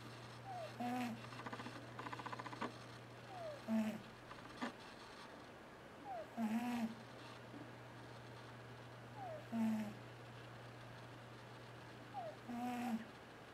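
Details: T-Jay the cat snoring loudly while asleep and dreaming, a squeaky, whistly wheeze with each breath, repeating about every three seconds over a steady low indoor hum.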